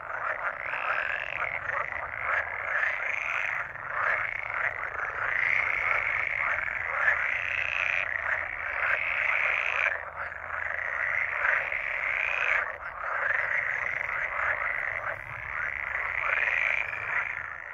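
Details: Pool frogs give a continuous chorus of rapid, rattling, quacking calls in long unbroken bouts.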